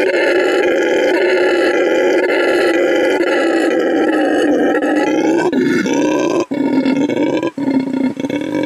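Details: ['A rescued red howler monkey named Canelo, now at Send Verde Animal Refuge in Bolivia, roars loudly to claim his new territory; a continuous throaty howl that wavers in pitch, then breaks into short gaps near the end.']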